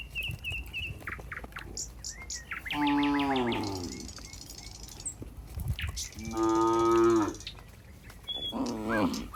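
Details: Cattle moving together toward their pen, giving long rich moos that slide slightly downward, three calls over nine seconds, backed by small bird chirps and trampling footsteps.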